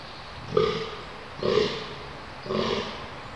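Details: Red deer during the rut at Konopiště, Czech Republic, on 20 October 2015, giving three hoarse, guttural grunting roars about one per second, each a short rough burst over low background hiss.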